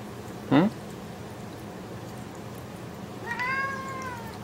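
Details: Japanese Bobtail cat being groomed indoors; one short sharp chirp near the start, then a drawn-out harmonic meow about a second long near the end, over quiet room noise.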